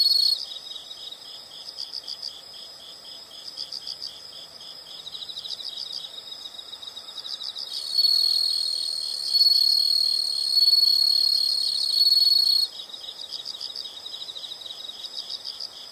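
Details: Several insects calling together outdoors: rhythmic high chirps repeated about four times a second, overlapped midway by a louder, steady shrill trill lasting several seconds before the pulsed chirping resumes alone.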